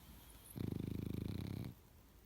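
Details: A sleeping pug snoring loudly indoors: one long rattling breath made of rapid, evenly spaced low pulses lasting about a second, with quiet room noise before and after.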